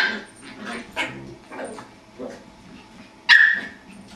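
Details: A Jack Russell terrier puppy playing with a beagle gives odd whining yelps and grumbles, ending in a sharp high squeal.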